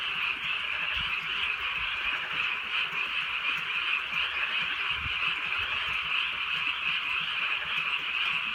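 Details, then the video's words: Frogs chorus through a softly rainy rural night, their croaks merging into a dense, slightly pulsing trill while light raindrops patter in the background. "개구리 소리"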